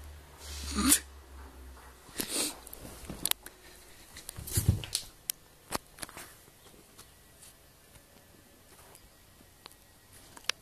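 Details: Leeloo, a 7-month-old Dobermann with the breeding name Tovah von Trokadero, being super silly: a few breathy snorts and huffs in irregular bursts, followed by scattered sharp clicks and a quiet background.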